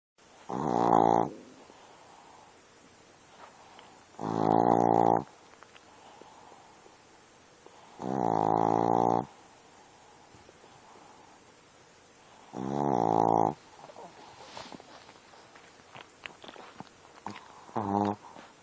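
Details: Sleeping dog snoring loudly: deep, rattling, buzzy inhalations about a second long, repeating roughly every four seconds, five in all, with quiet breathing between them.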